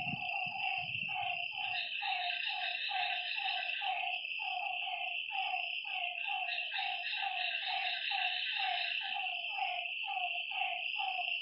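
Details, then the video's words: Frogs calling at night by a lakeside: a dense chorus of short, low, croaking notes, repeated rapidly and overlapping from several callers, over a steady high-pitched insect drone; a few low thumps at the start. "Lakeside night creatures and frog sounds"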